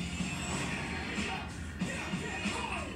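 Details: Background music plays steadily with a beat and some clattering, with no animal voice present.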